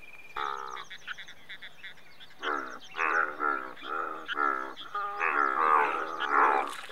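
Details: Indian bullfrogs, India's largest frog, in a busy overlapping chorus of longer, buzzy, grunting croaks that merge into a continuous rough din in the second half.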